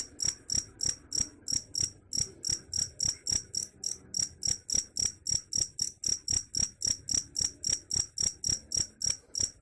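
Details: Cricket, said to drive away rats, chirping in steady short pulses of about four per second, each a bright high-pitched trill burst, repeating evenly throughout with faint low background hum.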